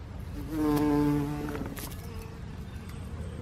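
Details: Common carder bee in spring 2021 at the Lorenzo Rota botanical garden, Bergamo, Italy: a low, droning buzz that swells for about a second as it passes close, then fades into soft background noise.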